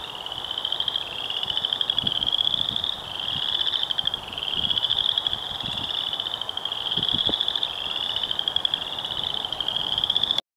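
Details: Western chorus frogs calling in a wetland at The Morton Arboretum, Lisle, Illinois, on 30 March 2013, giving rapid, rising pulsed trills like a thumb run along a comb.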